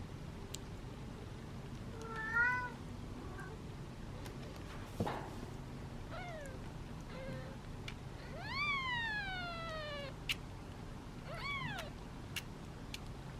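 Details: Hungry domestic kittens, seven sitting in a basket indoors waiting impatiently for feeding time, give high harmonic meows: several short, one long falling meow near the middle, then a sharp rising-falling cry, spaced irregularly over steady low background hum and occasional clicks.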